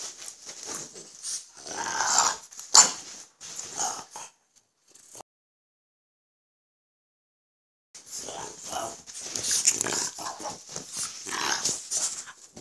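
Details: French Bulldogs Gonzothunder and Turbopanda, dad and son; busy raspy grunting and snorting for several seconds, about three seconds of silence, then another run of snuffly huffs and wheezes.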